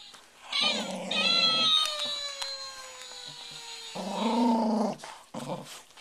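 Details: Rescued Welsh Terrier growling to silence a talking toy: a low rough growl, then the toy's long sliding whine, then another throaty growl and a brief final grumble in a small room.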